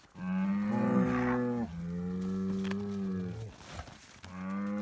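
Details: Scottish Highland cattle bull on a farm in Finland, noisy while being given bread: three long, deep, harmonic moos with a steady pitch, each lasting about one to one and a half seconds, separated by brief pauses, with faint rustling in between.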